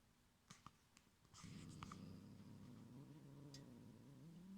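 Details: Young pet cat indoors growls low and steadily to guard its string cotton toy from another cat. A soft, continuous rumbling growl wavers slightly in pitch for about three seconds, after faint ticks and clicks.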